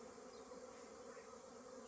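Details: Crowded honey bee colony at a courtyard hive project, the bees bringing honey from nearby mustard fields to store there; continuous dense buzzing drone, steady in level, with a humming band in the mid range.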